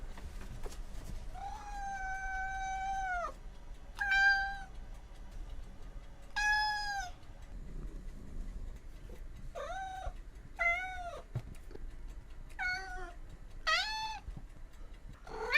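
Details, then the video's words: Domestic cat making a long series of meows, early ones drawn out and level for over a second, later ones shorter and arched, coming about every second toward the end. "How do animals sound? Farm animals part - Cows, cats, goats, sheep, horses"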